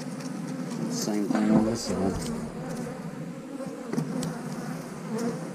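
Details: Low, continuous droning of honey bees at an eight-frame hive, briefly overlaid by a murmured voice early on, then an even hum.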